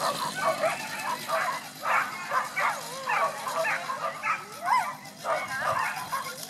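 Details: Racing female whippets at Ivánka pri Nitre, Slovakia, on 23 August 2014 give a burst of sharp, closely spaced barks and yelps, roughly two per second, over background crowd noise.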